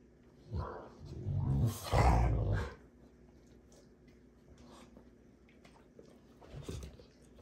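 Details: Two Rottweilers play fighting: a burst of deep, rough growls with snarling rumbles during the first three seconds, then quieter low grumbles and a short final growl.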